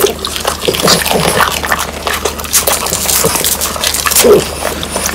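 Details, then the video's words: French Bulldogs Pang, Kun and Ppo eat whole quail that was hand-prepared and dried until crisp. Dense, sharp crunching and cracking of bone comes in quick irregular bursts, with soft wet chewing between them. "강아지 먹방 ASMR 통메추리를 건조시켜 바삭하게 먹어봤어요"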